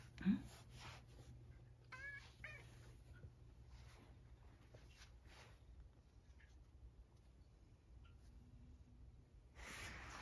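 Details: Satchan, a male rescued house cat living with an elderly woman, indoors around dinner time: one short, wavering, harmonic meow near the middle, a faint earlier squeak, low steady room hum, small clicks and a woman speaking nearby.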